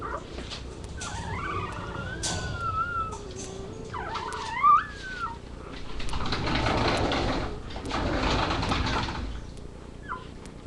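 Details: Labrador retriever puppies filmed on a live cam, whining repeatedly: several thin, wavering whines that bend up and down, some short and squeaky, followed by a stretch of noisy shuffling.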